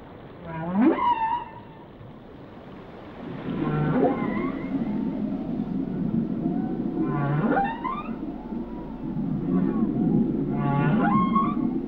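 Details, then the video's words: Whale song: a series of steep upward-sweeping whoops with rich harmonics, spaced a few seconds apart over a steady low rumbling background. "Song of the Whales"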